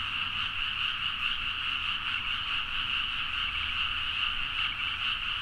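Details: Many frogs calling at midnight in paddy fields of Nagaoka, Niigata, Japan (Zoom H4n recording), forming a dense, even chorus of fast, grating croaks that pulse slightly over a faint background rumble.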